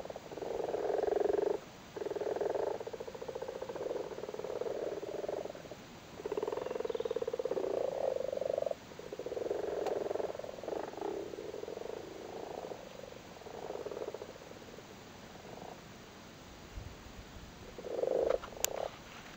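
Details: Irish frogs spawning in a flooded cattle grid in Cork, giving a steady chorus of low rattling purrs, long overlapping bursts early on, thinning to shorter scattered croaks and a faint click near the end.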